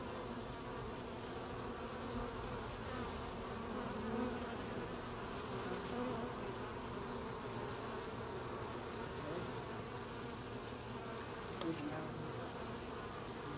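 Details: Honey bees collecting honey at an apiary on 20 July 2020: a dense, steady hum of many bees with overlapping drone bands in the low-middle range, fairly even loudness throughout, no other clear sounds.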